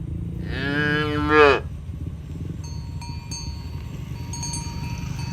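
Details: A single strong moo lasting about a second from cows being herded to the pen one morning on a village road, followed by scattered ringing cowbell notes over a steady low rumble.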